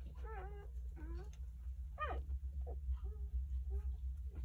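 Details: Newborn Jindo puppies, three days old and nine in the litter, give thin, high whimpers and squeals, some sliding in pitch, as their mother returns from eating to brood them all.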